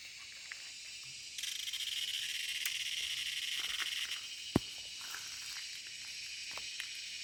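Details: A cicada calls loudly: after a second of quiet, a sudden, steady, hissing drone switches on. It holds strongly for a few seconds, then continues softer, with a single sharp click in the middle.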